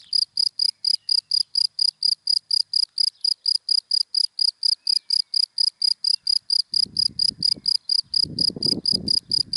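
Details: ['Rapid, regular high chirps from a cricket in dry grass during the day, about four a second, nearly alone at first, then a low rumble rises toward the end.']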